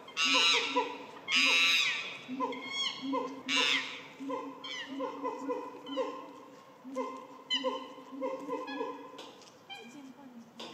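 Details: Chimpanzees at Higashiyama Zoo, Japan, in March 2024 after rain, let out loud, harsh screams in bursts over a steady hum of lower tones.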